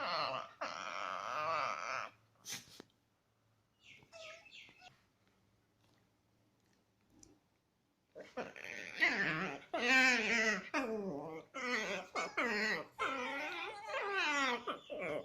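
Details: Chihuahua cross dogs playing together produce a run of high, wavering whines, yips and grumbling moans.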